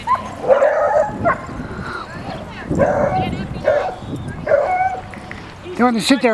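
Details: A female Samoyed protecting her brother from another dog gives several throaty barks with rough growly sounds between them, ending in a rising, wavering whine-like yowl.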